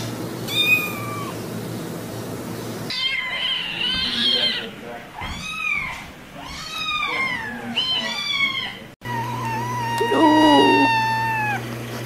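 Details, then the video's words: Meowing domestic cats, sounds meant to make a cat come over: one short meow, then a busy stretch of overlapping arched, whining meows against background noise, and finally a long, even, high meow with a steady hum beneath. "Meows to ATTRACT CATS"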